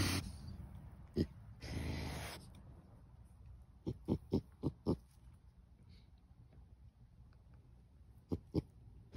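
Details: A trapped raccoon growls in short, low, guttural pulses, a threat aimed at a nearby person.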